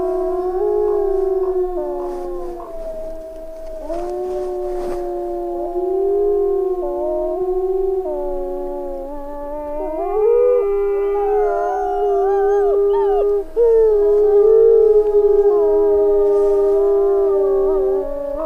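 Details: Several wolves howling together in a chorus of long, sustained, overlapping tones that waver and slide up and down, keeping up without pause for the whole stretch.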